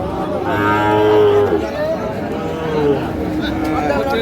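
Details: Sahiwal bull at a busy cattle market on 31 January 2025, giving drawn-out tonal moos that slide slightly in pitch, with a low hum and market noise underneath.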